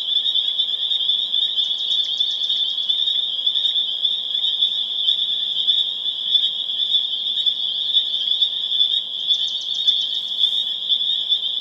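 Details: Massed spring peepers calling on April 27, 2011 in Harvard, Massachusetts, a shrill unbroken high chorus of overlapping peeps, with two short bursts of fast pulsed trilling rising above it, near the start and the end.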